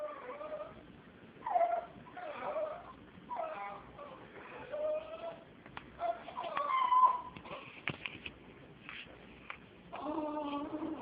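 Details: Female Jack Russell Terrier reacting to a cat, making strange sounds likened to being about to vomit: a series of wavering, whiny, moaning calls with strong overtones, roughly ten bursts in eleven seconds, some drawn out, with brief gaps.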